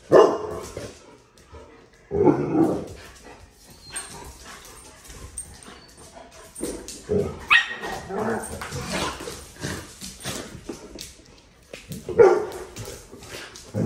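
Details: Dog barking on 26 November 2023 during a return visit to a familiar dog park: loud, sharp single barks break out at irregular intervals, several seconds apart, with quieter shuffling and background noise between them.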